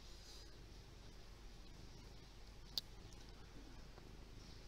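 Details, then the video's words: Lee, a big fluffy pet cat, purring softly indoors, filmed on a Windows Phone: a quiet, steady low rumble with fine rapid pulsing and one brief sharp click midway. "Purring kitty named Lee!"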